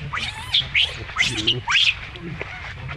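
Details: Young monkey with a troop, an adult's treatment of the baby ongoing: strained, rising and falling whining squeals with harsh overtones, four or five short cries in quick succession, then quieter fading whimpers.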